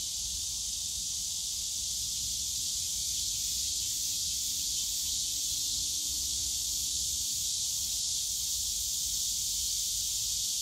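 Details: Cicadas in the bamboo forest of Yongsan Family Park on a summer day, an unbroken high buzzing hiss, with a faint low steady tone passing through the middle and distant park rumble.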